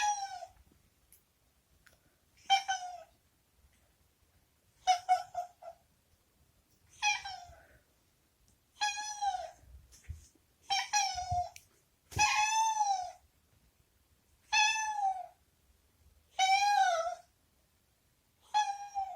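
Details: Pampered house cat Boku, rescued as a kitten, calls insistently from the washroom he hates, asking to leave; around eleven bright, downward-curving meows at irregular intervals of one to two seconds, some louder and longer, a soft thud midway.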